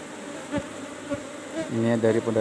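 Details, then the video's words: Asian honey bees (Apis cerana) at a cultivated hive box during honey harvest, a droning hum rising in the second half into a louder, banded buzz, with soft thumps from handling. "PANEN MADU LEBAH APIS CERANA di kotak budidaya nomer 17"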